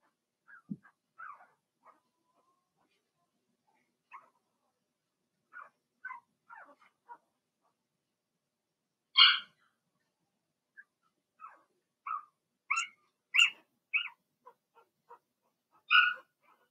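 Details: Blenheim Cavalier King Charles Spaniel puppies, Remy's first litter of six born in March, in a home puppy pen during potty training. They give scattered short high yips and whimpers, several of them sharp and louder, spread irregularly across the clip.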